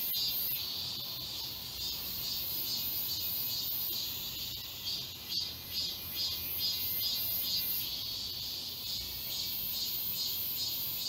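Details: Many cicadas singing together in the summer woods of Galsan Park in Seoul, South Korea: continuous high shrill buzzing with regular pulsing swells roughly twice a second, a dense chorus lasting the entire stretch.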